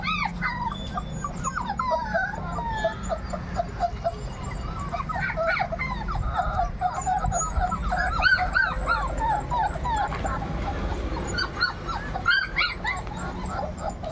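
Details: A litter of 38-day-old Labrador retriever puppies whines and yips continuously. The bent, squeaky notes overlap from several pups at once, with a few sharper yelps near the end.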